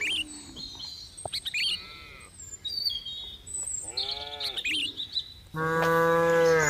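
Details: Cattle give several moos. There are short arched calls midway, then a long, steady, loud moo at the end. Frequent high bird chirps and tweets fill the gaps.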